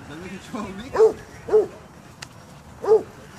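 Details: Basset Hounds at a dog park, one giving three short, deep barks with rising-falling tone, two close together and a third after a pause, with faint human talk at the start.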